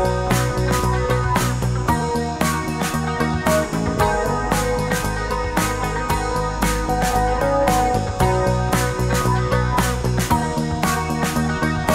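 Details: Loud rock music with driving drums and guitar throughout.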